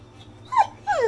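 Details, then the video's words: Pit bull at home "talking" back to its owner, two short falling whiny yelps, the second longer and sliding downward, with a low steady hum underneath. "Talking Pitbull Goes Off On Dad When He Doesn't Like What He Hears!"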